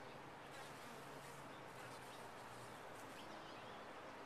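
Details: Massed honey bees in a top-bar hive give an unbroken, even buzzing drone with a faint low hum running beneath it.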